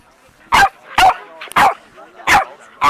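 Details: Playtime between an Alaskan Malamute and a four-month-old Boston Terrier puppy: five loud, clipped barks in under three seconds, roughly every half second, with a brief yip between.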